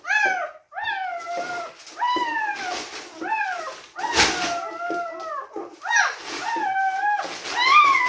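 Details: Newborn Teddy Retriever puppies crying indoors during whelping: a run of short rising-then-falling whimpers, some overlapping, with a rustling handling noise in the middle.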